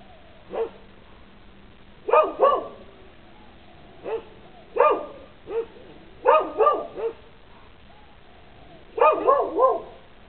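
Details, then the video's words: Barking dogs on a lanai: sharp, harmonic barks in short clusters of one to three, spaced about every two seconds, with a steady low hum underneath. "barking dogs video"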